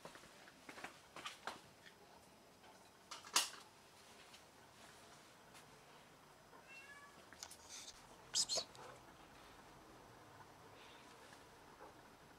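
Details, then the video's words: Domestic cat that caught a rat and brought it to brag, giving one short, faint meow around 7 seconds amid clicks, thumps and indoor rustling. "Cat caught a rat and brought it to brag about it!"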